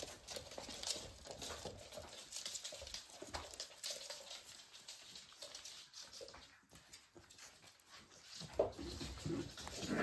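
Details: Playing Pembroke Welsh Corgi puppies, about six weeks old (born 31 January 2023, five males and one female), recorded 17 March 2023, give soft, scattered yips and whines over a busy, rustling background.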